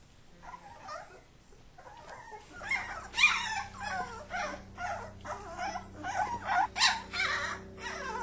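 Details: Several Kuvasz puppies wrestling, supervised by their father: a rapid, rough chorus of growls, yips and squeals, about three bursts a second, building after a quiet start, over a steady low hum.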